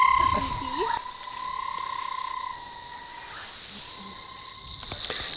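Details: Many banded rubber frogs on a South African reserve in summer after big rains, an unusually large number, give long, steady, high trilling calls in a chorus, taking turns rather than overlapping to maximise chances of attracting a mate.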